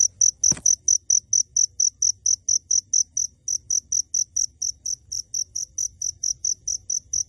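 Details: An unseen cricket, hidden even at close range, gives brief, high-pitched chirps, each a tight trill, about twice a second, with a single click near the start and a faint low rumble beneath.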